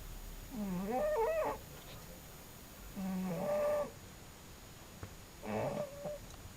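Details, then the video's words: A sleeping cat snoring: three voiced, rasping breaths about a second long, roughly every two to three seconds, each with a wavering tone. The background is quiet. "cute snoring cat"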